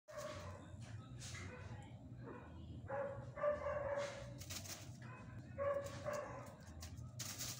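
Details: Pet Chihuahua dogs playing at home indoors; short high whimpering whines and yips arrive in bursts near the third and sixth seconds, over a steady low hum with clattering knocks and some human voice.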